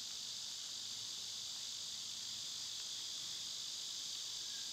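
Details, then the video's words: Summer cicadas, loud this time of year, filmed on one of their quieter days: a steady, unbroken high-pitched hiss-like drone fills the clip without pause, with no other clear sounds. "Birds & Squirrels w/ Cicada sounds"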